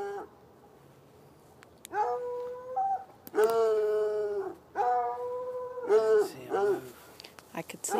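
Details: Two hounds chained outside in a bushy area next to an irrigation ditch bark at night from about 10 yards away; long, sustained, baying barks with strong harmonics follow a quiet opening, and faint human sounds appear near the end.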